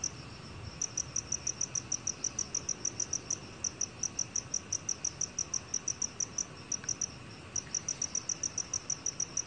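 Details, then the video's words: Black cricket calling in a 2020 National Institute of Biological Resources recording: after a brief quiet start, crisp high chirps come in a fast regular rhythm, with a couple of short gaps, against a low hiss. "검은귀뚜라미, 여러번 듣기, 곤충소리"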